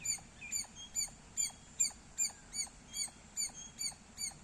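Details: Squirrel giving loud chirps: sharp, high, slightly bent notes repeated regularly, about ten in four seconds, against a quiet low background.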